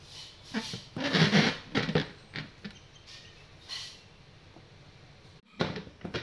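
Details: A young Cocker Spaniel puppy gives short, scattered barks and yips while playing and biting, in a small room.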